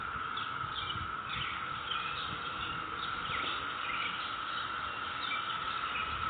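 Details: Cicadas calling in a neighborhood on May 22, 2021: a steady, unbroken buzzing drone at one pitch runs throughout, with scattered short bird chirps and twitters above it.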